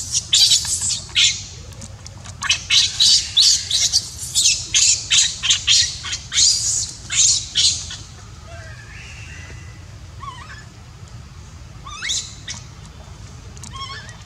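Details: Crying of a baby monkey whose mother will not look after it: a rapid series of about a dozen harsh, screechy pulses in the first eight seconds, then sparse thin squeaks and quieter calls.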